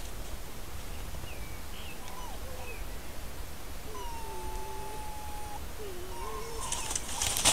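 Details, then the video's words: Red fox pair interacting by their dens, recorded by camera trap in Corte Franca countryside, Cavarzere area (VE), Italy: soft wavering whines, a long steady whistled tone, more undulating whines, ending in a loud noisy burst. "Vocalizzi Volpe - Red fox (Vulpes vulpes)"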